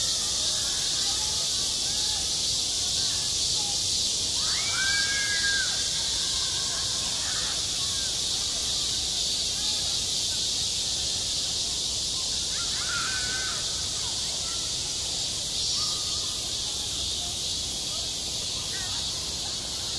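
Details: Summer cicadas on a school playground: relentless high-pitched buzzing chorus, steady in volume, with short tonal calls or distant voices surfacing briefly around five and thirteen seconds.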